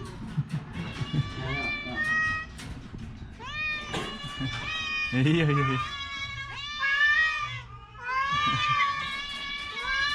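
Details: A sick orange house cat with a cough and a cold meows repeatedly, its wavering, arching cries coming roughly every second or two, while a person answers quietly in between.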